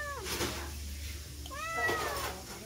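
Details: Cat walking past the edge of a house, begging for food with two short, falling meows about a second and a half apart over a low background hum.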